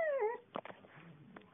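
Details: A 7-year-old female cocker spaniel in Thomasville, NC, "sings" when coaxed by her owner: a short, clear howl, a single tuneful note that slides downward and fades, followed by soft indoor shuffles and muffled knocks.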